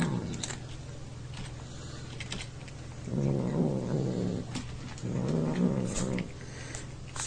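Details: A neighbour's domestic cat makes odd, low, rumbling growl-like grumbles while eating and being poked, in two drawn-out bursts of a second or more, over a steady low hum and faint clicks.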